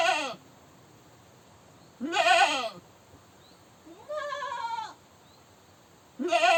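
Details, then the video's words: Goat screaming: loud, harsh wavering bleats about every two seconds, each under a second long with rich bright harmonics, the third call higher and more drawn out, separated by quiet gaps. "Goat Screaming"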